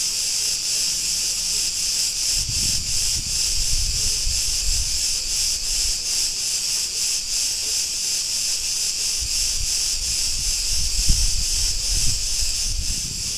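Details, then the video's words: Many Cretan cicadas sing in a street of Ierapetra, Crete, Greece, making a piercing metallic buzz that beats in quick regular throbs, with intermittent low rumbles of passing traffic. "Cretan cicadas sounds"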